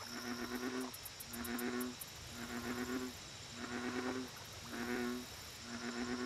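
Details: American bullfrog at a lake: deep, droning, harmonic croaks, each under a second long, repeated roughly once per second, six in all, over a steady high insect hum and bursts of faint ticking.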